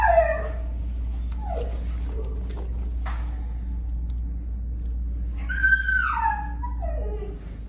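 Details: Noah, a five-year-old tan and white male mastiff/pit bull mix, whimpers indoors: high, falling whines open the clip, another comes at one and a half seconds, and a longer wavering whine with bright overtones follows near six seconds; a faint room hum persists.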